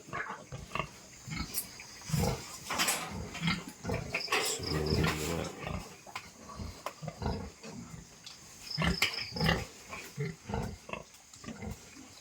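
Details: A new batch of piglets, strong and growing well, keeps up a long stream of short, husky grunts and snuffles, at times in louder clusters, while crickets chirp steadily behind.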